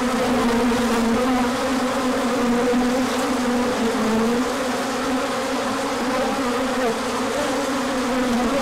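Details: Many honeybees swarming out on a large orientation flight when the sun came out after colder weather, 24 March 2024; a dense, steady hum with a low wavering drone and its overtone, continuous and unbroken throughout.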